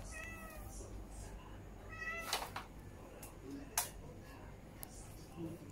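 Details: A stray cat visiting to beg for food when hungry gives two short, soft, sweet meows about two seconds apart, mixed with sharp clicking and tapping noises nearby.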